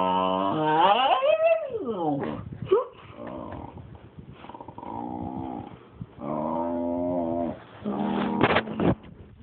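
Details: Indoor pet dog, jealous and disapproving as the cat gets petted, 'talks' in drawn-out howling moans that swoop up and down in pitch, with grumbling growls between, steady droning whines, and a sharp squeaky cry near the end.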